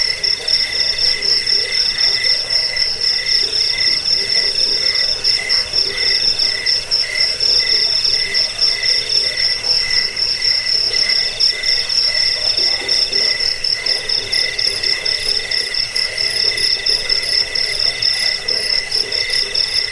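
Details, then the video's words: Cricket chirping meant to repel rats, help with sleeplessness and serve as a song tutor for birds; high, fast, evenly pulsed trilling runs throughout, layered with a lower rhythmic chirp band and steady dense background buzz. "Suara jangkik pengusir tikus pengantar tidur"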